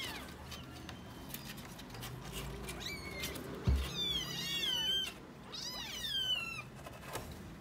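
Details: Tiny kittens, five of them, with a new box: soft thumps and rustling first, then a burst of shrill, wavering mews from several kittens calling over each other in the second half.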